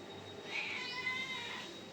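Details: Cat indoors giving a thin, high-pitched, drawn-out meow lasting about one second, holding a steady tone before easing slightly downward, heard faintly over quiet room hum with no speech during the call.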